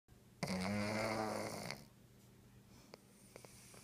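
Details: Romeo, a pet cat, snores while asleep indoors: one long buzzy, rasping breath of about a second and a half, low and rich in overtones, then quiet room hush with a few faint clicks.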